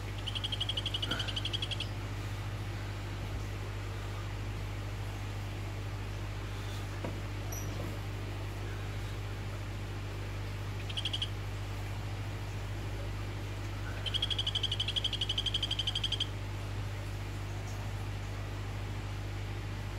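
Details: Orange Phyllobates vittatus male calling to a female: three bursts of rapid, high, evenly pulsed trilling, short and long, one near the start, a brief one mid-way, a longer one later, over a steady low hum.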